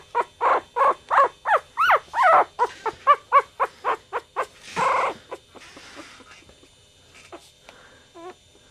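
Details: Chihuahua puppy, one of a litter from Goofy Rodriguez jr., Coconut and Chichi Rod, giving a rapid series of high, harmonic squeaks and yelps, some rising and falling, about one every half second, then fading to faint whimpers near the end.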